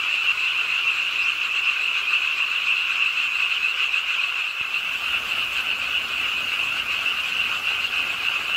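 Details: Frog chorus at a city park pond in Suwon, Ingye Art Park, late on a rainy night: rapid massed croaking holds a constant shrill pitch, with a brief faint click near the middle and rain noise throughout.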